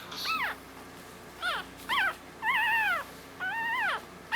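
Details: Newborn female Havanese puppy, born on Valentine's Day, giving five high, arched squeaking cries. Each is a thin rise-and-fall whine lasting up to half a second, with short quiet gaps between them and a faint hum underneath.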